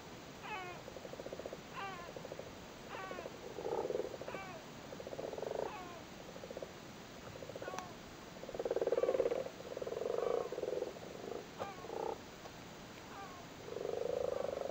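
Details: Spawning frogs in a flooded cattle grid in Cork, Ireland, churn out rolling, purring croak bursts lasting one to two seconds, loudest toward the end, while repeated short, harmonic, downslurred calls from another animal sound between them.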